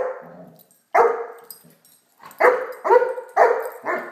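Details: Great Dane puppy named Blacky barking while playing with a toy dog; short harmonic barks, a single one then a quick cluster of four over about two seconds, with low background murmur before.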